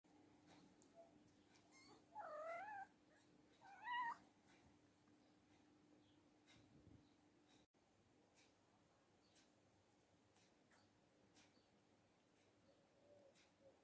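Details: Newborn kittens of a mother cat indoors, with a dog brought in as nanny: two brief, thin, wavering mews close together, then quiet with a steady low hum in the room.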